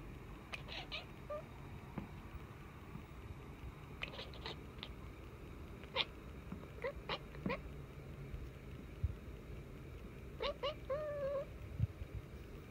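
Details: Luna, a pet cat behaving strangely, gives several short, quiet meow-like calls with harmonic tones, a few bent upward near the end, over a low background hum and faint clicks.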